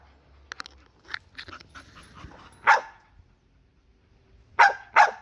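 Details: Bull Terrier named Ozzy barking in protest indoors, short sharp barks: a few soft yips early, then one loud bark and a quick pair of loud barks near the end, with faint background murmur.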